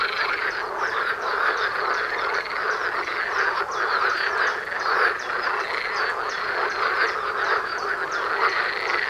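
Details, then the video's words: Many frogs calling together outside a front door during courtship season, a thick wall of quacking, rattling croaks layered on one another, constant and unbroken for the whole stretch. "Froschkonzert vor der Haustüre"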